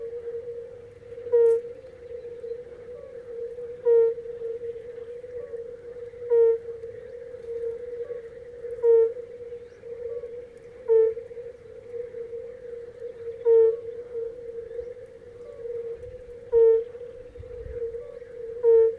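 A European fire-bellied toad gives soft, mellow 'oop' notes roughly every two and a half seconds over a humming chorus.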